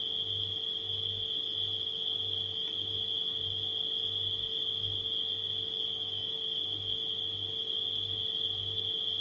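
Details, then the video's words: A steady high cricket trill from nighttime insects runs unbroken, set against a refrigerator's low droning hum that beats in uneven pulses, with a brief faint click near the start. "Crickets & Refrigerator Humming Sound"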